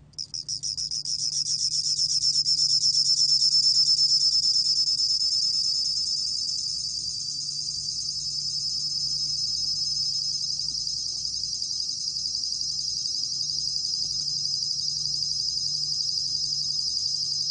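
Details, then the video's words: Bell cricket recorded by the National Institute of Biological Resources in 2020, giving a continuous high, finely pulsed ringing trill that holds steady throughout, with only a faint low hum underneath. "곰방울벌레, 1번 듣기, 곤충소리"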